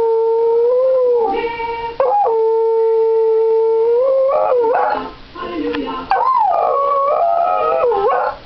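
A dog howls in long, steady tones that waver and slide up and down in pitch.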